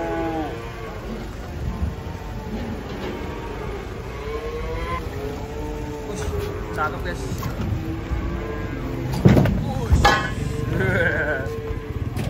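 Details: Big, fat cattle being unloaded from a truck give low, drawn-out moos rich in overtones, partly overlapped by people talking and calling warnings, with vehicle rumble and sharp knocks toward the end.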